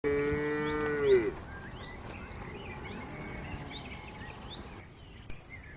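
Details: Cow, one of several breeds, with a short moo of about one second that drops in pitch at its end, followed by scattered chirping birds in a quiet outdoor setting.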